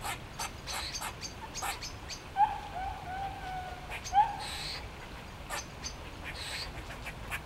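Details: Grey squirrels displaying in trees in Sheffield's Botanical Gardens, several animals waving tails while calling; two sharp-onset nasal moans, each sliding into a longer wavering tone, among soft scattered clicks and chucks.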